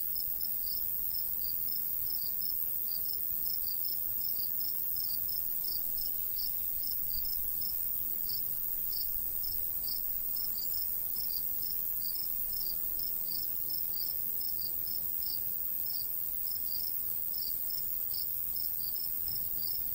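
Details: Continuous rhythmic chirping of crickets in a summertime wheat-field countryside, pulses coming several per second without pause, a light breeze and dense high insect hiss behind.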